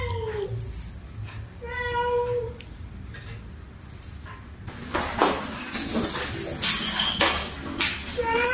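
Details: Angry cat meows aimed at another cat: two short, level-pitched meows in the first few seconds, followed by loud scratchy rustling and a steady high-pitched whine.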